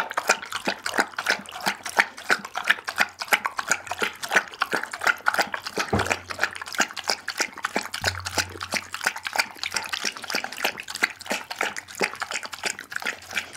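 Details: A pit bull, Daggy, gnaws a whole raw chicken indoors, captured with an Insta360 ONE R: rapid, rhythmic crunching of bone and flesh, roughly one bite per second, moist squelches and a faint low hum throughout.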